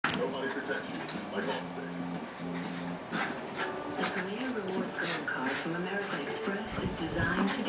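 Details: Two Miniature Schnauzers play rough, wrestling and trading whiny, wavering play growls in a rough-and-tumble bout, with scuffling noise throughout.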